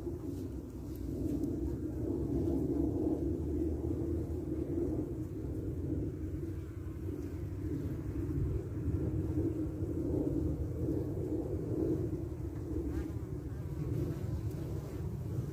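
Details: At the hive entrance, Carniolan honeybees fend off wasps, their massed wingbeats forming a continuous low buzz that swells slightly and fades over fifteen seconds, with constant low rumble underneath.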